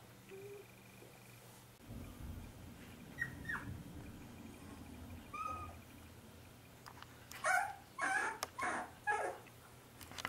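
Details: Paul, a 25-day-old corgi puppy, gives sparse thin whimpering tones that turn into a run of louder, rougher yelps near the end, with a quiet indoor hum underneath.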